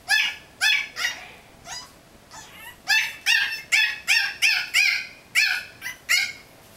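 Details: A Yorkshire Terrier puppy in his playpen yaps at a cat he wants to play with, in quick, high, sharp barks, about two each second.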